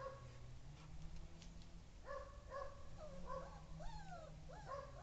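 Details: Siberian Husky puppies playing with their mother: thin, whiny whimpers with rising and falling pitch, beginning after two seconds and repeated in short bursts over low room rumble.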